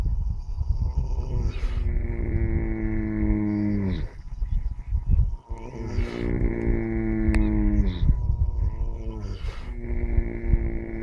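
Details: Four horses dozing in early morning sunshine snore in long, low, moaning drones. Each falls slightly in pitch and lasts about two seconds, broken by short noisy exhalations.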